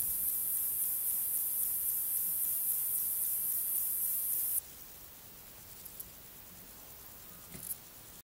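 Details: Male Fat-bellied saddle bush-cricket (Pycnogaster jugicola) calling song, Sierra de Guadarrama, 12 July 2019: a very high, thin, unbroken hissing buzz.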